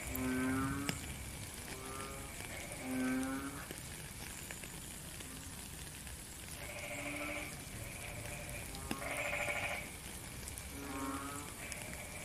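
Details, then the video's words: Frogs in rainy weather, a real-time nature recording: several short, low, moaning croaks with rich overtones, then pauses filled by higher, buzzier calls from other frogs, all over constant rain noise. "Frog and Rain - 10 minutes Faint Beautiful Song"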